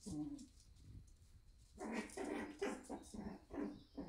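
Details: Shiba Inu puppies at a breeder in the Netherlands in the morning. A short low sound comes first, then a quick run of loud, rough yelping cries repeated about every half second over a steady background hum.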